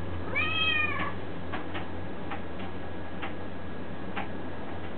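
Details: Domestic cat giving a single short rising-falling meow early on, followed by faint soft clicks and ticks against a steady low indoor hum.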